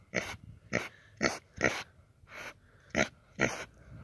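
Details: A pig playfully described as finding its singing voice, giving short, harsh, noisy grunting bursts, seven in about four seconds at an uneven pace, each lasting roughly a quarter second, with quiet breathy gaps between.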